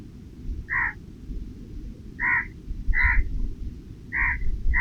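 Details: Offered nuts and snacks beneath a shady tree, a squirrel repeats brief, clipped chirping calls about once a second, five in all, over a continuous low background rumble.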